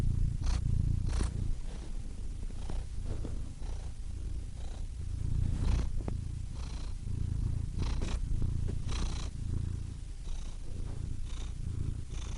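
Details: Domestic cat purring steadily, a deep continuous rumbling vibration with faint soft clicks and rustles scattered through it.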